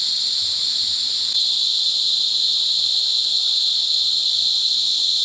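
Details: Cicadas mating and calling close by in Sitio Bagumbayan, Negros Occidental, July 18, 2020: an even, shrill buzzing hum that never pauses, slightly louder after the first second.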